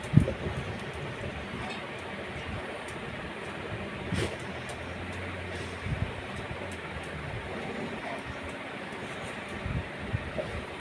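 A steady rumble of rail traffic and machinery with faint distant voices, and no animal calls.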